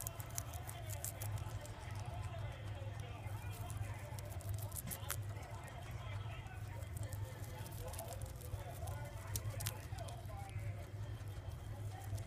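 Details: Poh the guinea pig eating its beloved mizuna: bursts of crisp crunching spread across the clip, with a couple of louder snaps, a human voice murmuring in the background and a steady low hum.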